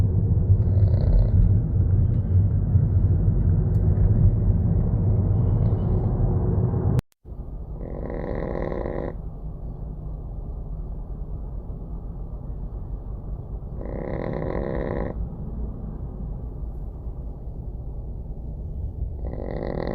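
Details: Small dog asleep in a gentle breeze, snoring: harsh, rasping snore bursts recur roughly every six seconds over a steady low rumble of breathing, with a brief silent gap near the middle.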